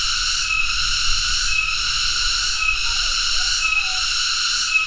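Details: Tonggeret, a cicada of family Cicadidae, droning in a continuous high-pitched rasping buzz that briefly weakens at about one-second intervals; soft low rumble in the background.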